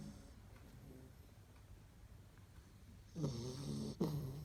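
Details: Labrador Retriever puppies bred at Kloster Marienthal snoring like the adults. Near silence gives way to two short, louder nasal snores near the end, each a brief low rasp with a slight buzzing tone.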